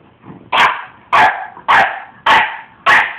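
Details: Young pet dog, almost five months old and 37 pounds, speaking his mind: five loud, sharp barks at a steady pace of about one every 0.6 seconds, with quiet room background between them.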